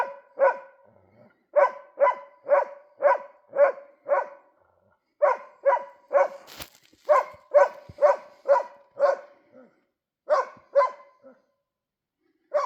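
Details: Winter scene with a dog barking at a moose, giving steady series of sharp, harmonic barks about two a second, broken by brief gaps and a sharp click near the middle.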